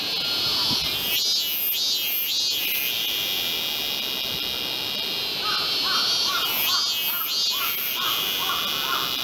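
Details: Min-min cicada, described as off-key, singing at a Tokyo temple in summer, August 2018; shrill pulsed bursts in two phrases over a constant high buzzing background, with lower chirping notes in between.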